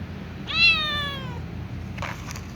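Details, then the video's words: Little ginger cat meowing while refusing food beside a catnip plant; a single clear meow that starts loud and slowly falls in pitch, followed by a brief soft rustle. "Little ginger cat meows"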